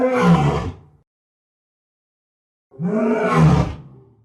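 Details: Two gruff, low lion roars about a second long, separated by nearly two seconds of silence. The second roar swells slightly before trailing off.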